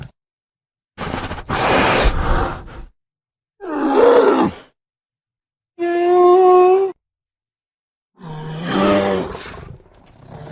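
A bear gives four separate calls: a rough roar, a growl, then two drawn-out tonal moans.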